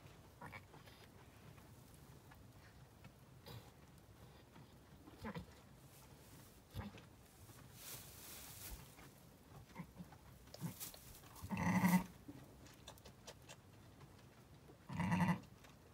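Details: Zwartbles ewe named LittleBit in labour with her first lamb on a farm in County Kilkenny, Ireland, calling as if looking for a lamb not yet born; two low, throaty bleats come near the end over faint rustling.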